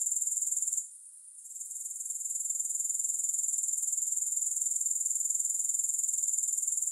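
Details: A continuous high, hissing insect trill from grasshoppers, with no music. It beats rapidly and regularly, then drops away briefly near the first second before building back to full strength.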